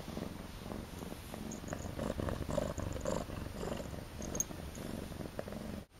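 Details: Steady low rumbling purr from Akari, a young pet cat in her first months at home, continuous throughout indoors with soft rustling.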